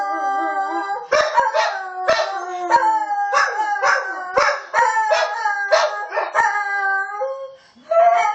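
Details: Bailey, a dog, howls in a run of wavering, yodel-like notes with yips roughly every half second, layered harmonic tones and clicking knocks, ending on a clear high whine.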